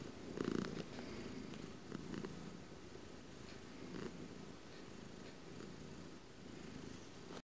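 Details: Domestic cat recorded close up, purring in a continuous low rumble with brief louder bursts near the start and around four seconds, the throbbing pulse steady to the end in a quiet indoor setting.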